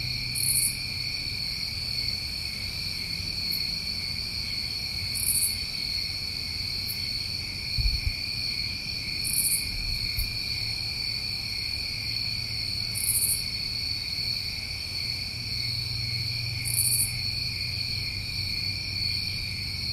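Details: Summer crickets in New England keep up a constant shrill drone while short, very high buzzy bursts recur roughly every four seconds; a faint low thump sounds near the eighth second.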